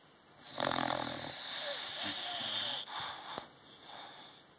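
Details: Olde English Bulldogge asleep and dreaming after a long day: a loud raspy snort-snore rises sharply, then trails into a drawn-out wheezy breath with a high whistling tone, ending in a soft sniff and a click.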